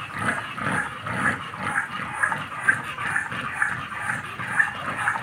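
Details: American Bully dogs Happy and Demon, off the chain: breathy, rhythmic huffing pulses about twice a second, steady and unbroken, with a faint high hiss above.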